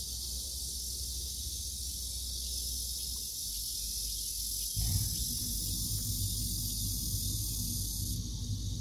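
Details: Steady high-pitched cicada drone near an old date-plum tree with morning glory, pumpkin and chili plants, sustained without pause while a low rumble swells from about midway and the buzz's top edge shifts near the end.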